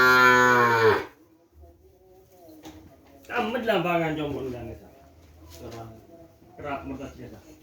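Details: Kerapan racing bull of Madura cattle, from Sapudi Island, moos three times: a long harmonic bellow with a falling end, a rougher wavering moo a couple of seconds later, and a shorter third moo, with a man talking faintly.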